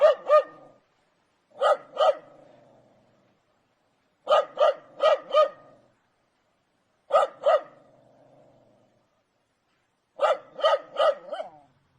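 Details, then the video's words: Dog barking angrily in clipped groups of two to four sharp barks, each group spaced about three seconds apart, with a faint echo after several groups. "Dogs barking sounds angry"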